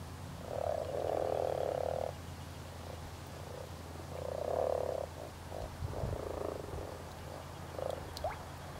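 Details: European common frogs spawning in spring, giving low purring, grating croaks in long bursts of about one to two seconds, with shorter croaks between, over a steady low background rumble.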